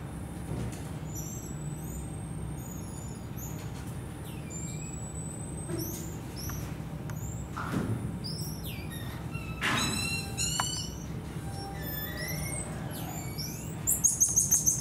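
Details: Black-tufted marmosets at Japan Monkey Center, Aichi, filmed May 2023; high thin whistled calls, some long flat tones near the top of hearing, others short upswept chirps and trills, scattered irregularly, with low background rumble.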